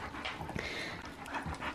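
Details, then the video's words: Husky panting hard during play wrestling that only looks like fighting; quick, breathy bursts fill the clip, with short rustles and a brief indoor murmur of a human voice. "Husky wrestling!"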